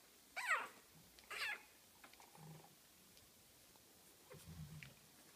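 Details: Nelly's three-week-old Boston terrier puppies: two short, high, squeaky whines with a falling then rising pitch in the first second and a half, followed by soft low grunts and a few faint squeaks.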